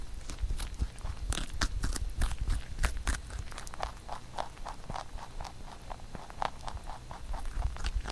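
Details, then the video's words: Rabbit kept as a pet chewing carrot shaped into songpyeon for Chuseok; dense, crisp crunches in fast irregular succession, several sharper bites early on. "Rabbit eating sound with Carrot SongPyeon"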